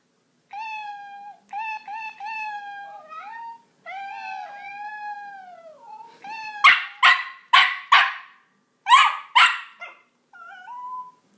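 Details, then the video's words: Indoor pet Miniature Pinscher reacting to a cat soundboard: a series of long, wavering meow-like tones, then a burst of five or six sharp, loud barks and a short final whine. "Miniature pinscher reaction to cat soundboard cute."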